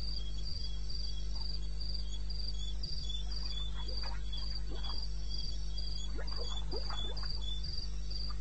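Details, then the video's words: Cricket in eastern Botswana wilderness at 02:30 on a May night, giving steady high chirps several times a second, while lower croaking frog-like calls break in over a low background hum. "1 Hour cricket sound-Africa-No loop-Real recording"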